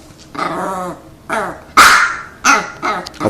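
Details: Pet dogs in front of treats, after being told to lie down, let out four or five rough, drawn-out growling barks, each a harsh burst lasting under a second, the loudest near the middle.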